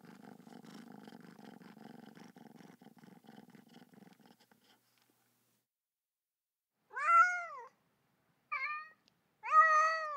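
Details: Domestic kitten purring in a low, buzzing rattle for about four seconds, then a pause and three short, high, arched meows near the end.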